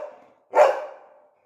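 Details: Labrador Retriever kept as a pet letting out a single short, sharp bark as its owner repeats commands like down and sit in Bengali.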